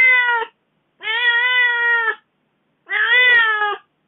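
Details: Young house cat crying plaintively after its owner spent four days away; three drawn-out, even-pitched meows with rich harmonics, about a second apart, the third slightly rougher.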